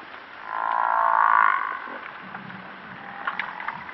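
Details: African buffalo, also called Cape buffalo, giving one drawn-out nasal moan of about a second that swells and fades, followed by quieter low grunting and a few faint clicks over steady background hiss.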